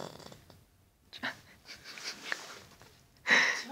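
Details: Charlie, an 8-year-old Cavalier King Charles Spaniel, snoring very loudly in a deep sleep indoors, prone to snoring; rough, breathy snorts come at irregular intervals, ending with a louder wheezy burst.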